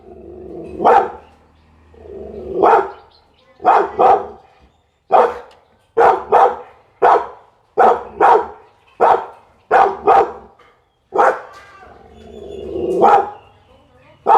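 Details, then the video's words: Pit Bull delivering a long series of forceful single barks at an uneven pace, some spaced apart and others in quick succession, with a softer growly bark at the start and end. "เสียงหมาเห่า #หมาพิทบูล"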